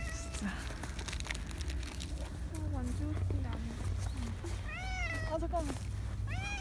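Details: Injured stray cat Rangrang, a street cat regularly fed, arriving hurt in November 2018 near a parking lot: a few rising-falling meows late on, one higher and drawn out, over a woman's soft talk and low traffic hum.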